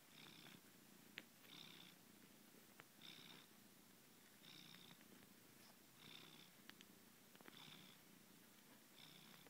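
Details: Domestic cat purring while kneading: a steady low rumble that swells into brighter breathy bursts about every one and a half seconds, with a few soft clicks in an otherwise quiet indoor setting.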